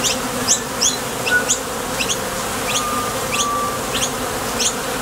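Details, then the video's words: Foraging bees coming and going at a Top Bar Hive entrance, wingbeat buzz from their thoracic muscles. A thick constant hum, overlaid with frequent quick fly-by whooshes, some bunched close together. "Bees Sound Effects | WHITE NOISE | RUIDO BLANCO RELAJANTE Sonido de las Abejas"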